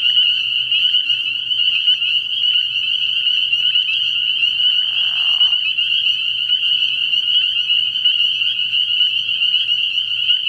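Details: Spring peepers calling en masse from a frog pond at night early in the year, high sharp peeps merging into a steady ringing drone, a brief lower rasping call around five seconds and a faint low hum.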